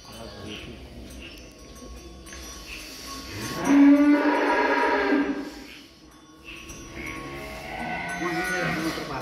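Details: Calves being loaded onto a pickup for a calf-class cattle contest in Boyolali, Indonesia. A single loud, rising then steady moo of about two seconds stands out, with music and voices in the background.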